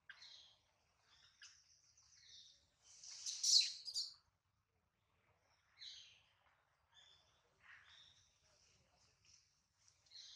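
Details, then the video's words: Hungry baby monkey Adler, missing his mother and held in the hands of a small monkey, gives a loud, piercing squeal midway, surrounded by shorter thin high-pitched cries scattered across the clip. "POOR BABY MONKEY CRYING IN HANDS OF SMALL MONKEY BABY MONKEY ADLER MISSES HIS MOM AND HUNGRY"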